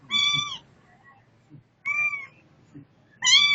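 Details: Setty, a pet cat said to be seeking fresh outside air, gives three loud, clear meows about half a second each, spaced by short quiet gaps over faint low background rumble.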